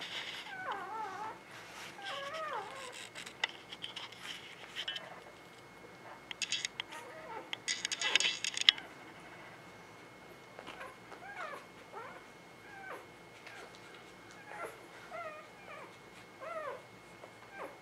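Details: Litter of newborn puppies, spring 2017, letting out scattered thin, bending squeaks and whines, some in quick runs, broken by clattering rustle bursts partway through.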